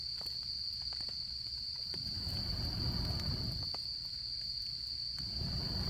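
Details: Insects of autumn at a campsite with a wood fire: a continuous high-pitched ringing trill runs evenly, with scattered fire pops and soft low rumbling swells rising around the middle and end.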